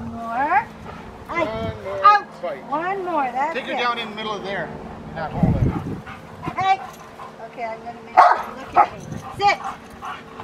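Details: Rottweiler named Magda vd Fehn Kolonie, BH, in protection training: a run of sharp, high barks and yelping cries that rise and fall in pitch, overlapping human voices giving commands throughout.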